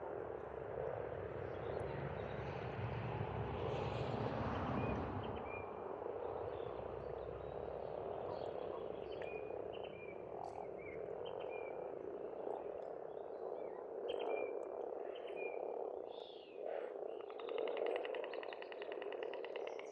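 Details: Spring frogs calling at a pond in Estonia, their massed croaking forming a continuous rippling drone. A deep engine-like rumble dominates the first seven seconds, and sparse bird notes flicker overhead.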